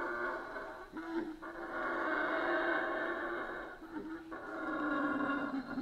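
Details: Howler monkeys in a Central American rainforest give a deep, rolling, sustained roar that swells and fades in long waves; howler monkey.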